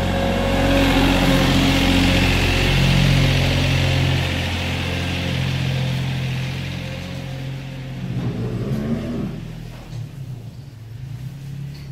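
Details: A vehicle engine drones and revs steadily with low humming tones, easing off after about eight seconds into quieter rumbling and scattered knocks.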